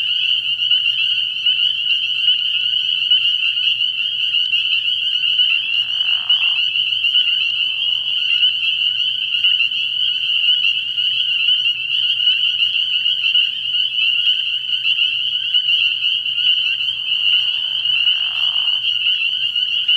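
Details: A frog pond at night early in the year, thick with spring peepers: a constant high-pitched shrilling of overlapping peeps for twenty seconds, with lower, brief rough bursts near six to eight seconds and again around eighteen seconds.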